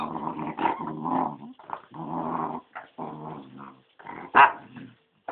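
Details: A Corgi growls roughly because it wants a blackberry. Bursts of low, rumbling growls are broken by short pauses, with a sharper yip-like sound near the end, indoors.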